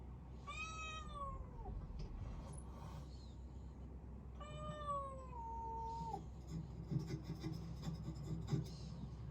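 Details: A domestic cat, a rescued kitten with tuxedo markings, heard indoors: two drawn-out harmonic meows, the first rising then falling over about a second, the second longer and sliding downward, over a low steady room hum with faint knocks.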